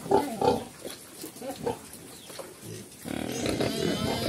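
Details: Black pigs, a mother with her piglets, on a farm in Cambodia, locally called Chrouk Kandorl; a few short grunts early on, then a busy stretch of mixed background noise.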